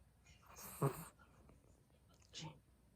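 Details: A sleeping Chihuahua snores softly indoors: a breathy, rasping burst with a faint low rumble, then a quieter second breath about two seconds later, with near silence between.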